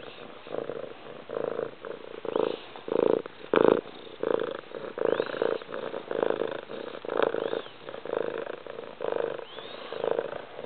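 A domestic cat purrs loudly in a steady, throbbing rhythm that swells and fades with each breath.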